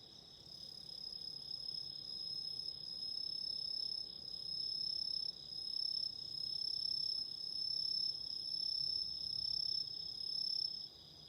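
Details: Autumn insects singing together by candlelight, loud unbroken high trills with a thin whistle-like tone above, the volume stepping up and down in short waves, with a quiet low rustle underneath.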